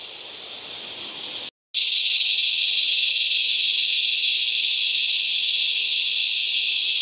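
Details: Australian razor grinder cicada calling in fading evening light: a dense, metallic grinding buzz, cut by a short break of silence, then resuming at full, even strength.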